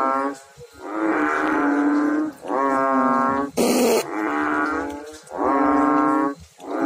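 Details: Several frogs call in water, their long buzzy droning notes following one another almost without pause, one voice slightly lower than the other, a sharp splash or knock cutting in midway.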